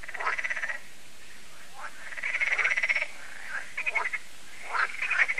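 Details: Frogs at Lac de Sabatte in France, an annual evening lake chorus: rapid pulsed rattling croaks in short bursts of under a second, several callers overlapping, with brief pauses between bouts.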